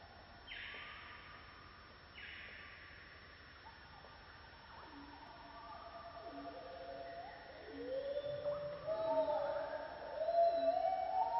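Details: On a misty morning in the Borneo rainforest, a gibbon gives clear rising whoops that grow louder, over a steady insect hum and other creatures.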